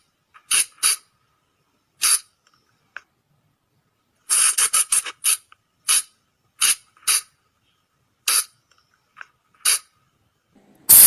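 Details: Flying lemur lure call for use at night: widely spaced sharp squeaks, a quick run of five in the middle, ending with a loud harsh crackling burst.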